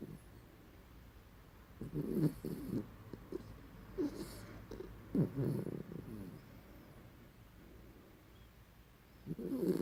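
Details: Nininha Maria, a pet dog, snores in her sleep with short, throaty, rasping pulses around two, four and five seconds, then a louder rough breath at the end; otherwise a quiet room.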